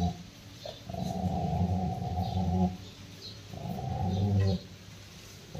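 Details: Rottweiler named Roxy, angry and attacking its owner, growls in two long sustained low rumbling bouts, each about one and a half seconds, with a short pause between; faint background hiss.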